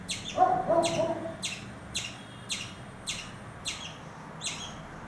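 A frightened squirrel sounds a run of sharp, high chips, each clipped short and repeated roughly twice a second. A brief lower, wavering note comes near the start, over a soft background hiss.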